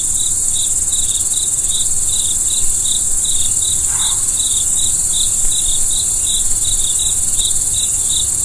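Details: Crickets at night under the stars: short clear chirps repeated about three times a second in a steady rhythm, over a constant high, hissing insect chorus and a low background rumble, with one brief softer sound near the middle.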